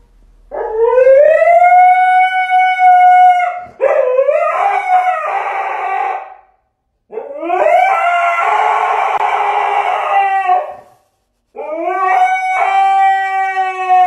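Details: Dog howling in long, clear, tonal notes, each held two to three seconds, some steady and some wavering and breaking into rougher yowls, four howls separated by short silences.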